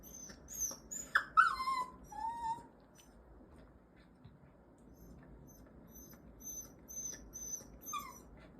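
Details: Songari, a one-year-old Mini Goldendoodle still learning to control its excitement, gets worked up over a toy and lets out a short burst of high nasal whines and squeaks, then softer thin peeps trail off.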